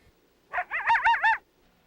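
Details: Coyote giving a fluctuating howl, its pitch wavering as it calls; a short, clear burst of about four rapid up-and-down undulations in a quiet setting.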